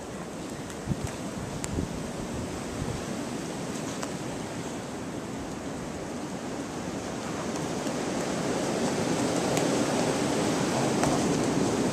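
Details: Outdoors in snow, a continuous roar of wind buffets the microphone, with scattered faint clicks and no animal voice.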